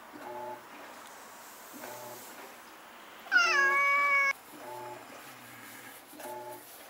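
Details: Stray cat yowling during one of the nightly fights between the neighbourhood strays Shiratan and Kuro-chan, recorded with a Nikon Coolpix S01; one loud, steady, nasal wail lasting about a second, amid faint low repeated tones and background hiss.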